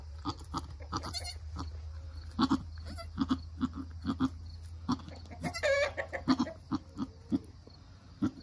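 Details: Nigerian Dwarf goats, a mother and her newborn doeling, during the birth and first nursing. Short, low, soft grunts repeat roughly every half second over a steady low hum, with a few louder rustling bursts.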